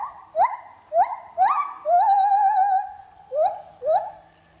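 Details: Lar gibbon singing at Trotters World of Animals as it swings: short upward-sweeping whoops about once a second, then one long wavering sustained note, followed by two more rising whoops.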